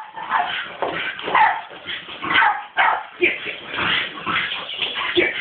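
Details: A female Staffordshire Bull Terrier reacting to a skateboard, unclear whether she likes or hates it, gives excited, irregular barks and yips, with a human voice in the background.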